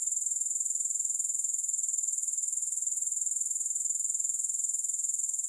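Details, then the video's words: High, thin, pulsing insect trill from grasshoppers, without music, beating steadily about four times per second at constant loudness throughout. "Grass Hopper Sounds"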